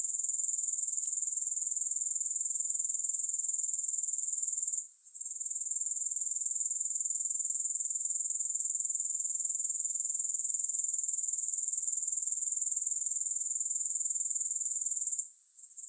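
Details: Grasshoppers, with no music. An unbroken shrill, high-pitched pulsing drone holds steady for long stretches. It drops out briefly twice, around five seconds and again near the end.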